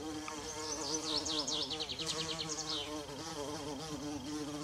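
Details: Bumblebee humming low and steady in a forest with wild violas, while a bird sings a quick high series of sharp descending notes that speed into a trill over the first three seconds.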